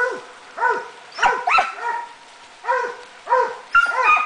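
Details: A Swiss Hound working on wild boar gives loud, ringing barks in uneven bursts, some doubling up into quick pairs.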